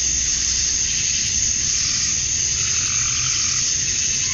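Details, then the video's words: Cicadas on a summer evening at dusk in Georgia, USA, males calling for females; steady, piercing, hissing trill without pauses, layered over faint low-frequency background noise. "Cicadas at Dusk, Summer Night"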